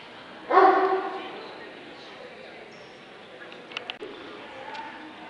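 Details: Dobermann in the Limit Dog class at the 2012 Scottish Dobermann Club championship show gives one loud, harmonic bark early on, followed by quieter faint clicks and muffled hall noise.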